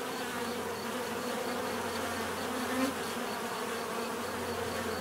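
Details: Bees buzzing naturally, a steady dense hum with bands of energy around 250 and 500, unbroken throughout; a faint repeating high tick runs beneath, and one brief louder swell passes near the middle.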